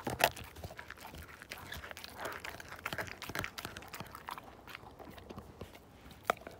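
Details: Indoor gnawing by the Siberian Husky Slim working a bone, a dense rustling crunch throughout with a sharp bite at the start and another near the end.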